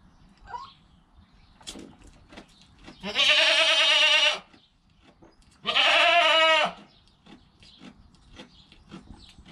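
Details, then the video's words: Goat kid in its first hour of life, with its calm mother: two strong, drawn-out, trembling bleats about two seconds apart, each over a second long, with faint shuffling and knocks around them. "Baby Goat - One Hour Sound and Video"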